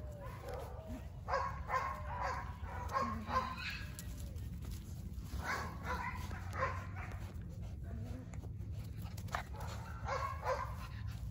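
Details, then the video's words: Border Collie puppies, 49 days old, from a German sire and Russian dam, litter born 19 April 2022 and filmed 7 June 2022; short high yips and thin whines come in frequent bursts over a steady low rumble, with soft human voices. "Filhotes de Border Collie com 49 dias"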